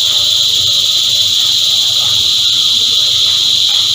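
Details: A short burst of a massed cicada choir: an intense, constant high-pitched buzz, with soft low murmuring behind it.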